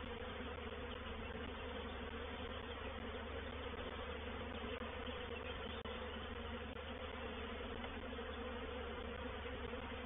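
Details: Reproductive swarm of honey bees moving into a bait hive at Painted Peacock Manor on 04/07/21: a dense, continuous droning hum holding steady throughout, with a low rumble underneath and no clear breaks.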